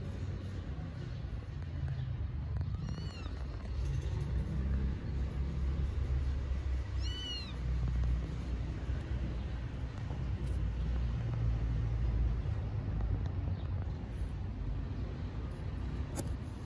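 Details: Homeless street kittens in Istanbul, hungry and waiting for food, let out two short high meows about four seconds apart against a constant deep hum of passing traffic.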